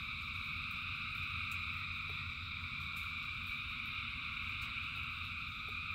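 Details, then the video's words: Frogs by the thousands calling in rainfall make a seamless high droning trill in bands. Sharp, sparse raindrop clicks punctuate it, with low rushing noise beneath. "Frogs in Rain 2 Hours of Frogs, Thousands of Frogs Singing"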